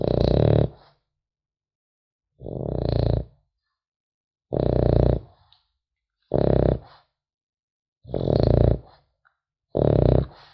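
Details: French Bulldog puppy asleep, snoring steadily: six rough, buzzing snores, each under a second, recurring about every one and a half to two seconds with quiet gaps, a soft wheezy hiss riding on each breath.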